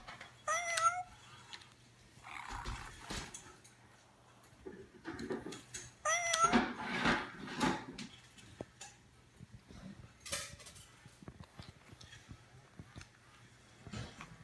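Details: Bengal cat playing with a cat toy, giving two short rising-then-falling chirping meows, one near the start and one in the middle, amid rustling, tapping and clattering toy noises.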